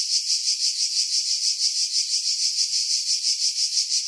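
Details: Cicada chorus from pine trees above the sea, Skiros Island, Greece, July 2018: an unbroken sizzling buzz, high and bright, throbbing in regular pulses roughly three per second, with low sounds filtered away.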